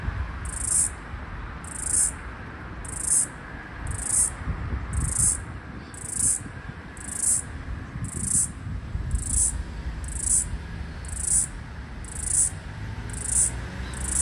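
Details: A floury baker cicada heard in Australia as summer 2022/2023 ended, trying to synchronise with another cicada across a busy street. It gives a regular train of thirteen short, high-pitched buzzy pulses, roughly one per second, over a steady low street rumble.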